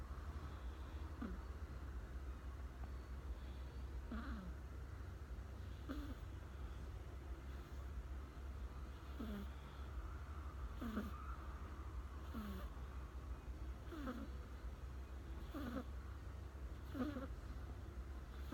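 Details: American Shorthair cat, a young pet kitten, asleep sitting beside a person indoors, snoring softly: short faint breathy snores recur about every one and a half to two seconds over a steady low hum.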